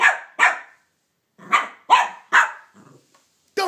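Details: Cavalier King Charles Spaniel Banjo barks rapidly at Minnie Mouse for taking his bone: two quick barks, a pause, then three more in fast succession before a final bark.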